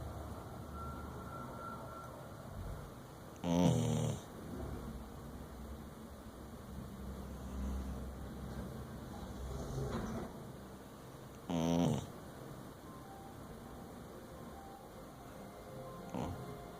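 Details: Dingo asleep and snoring, with two short, rasping snorts about eight seconds apart separated by long near-silent stretches of faint low background hum.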